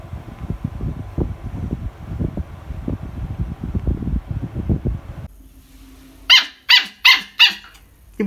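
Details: A Siberian Husky puppy, aged 20 to 60 days, complains. Several seconds of a person talking come first, then the pup gives four quick, piercing yelps in a row.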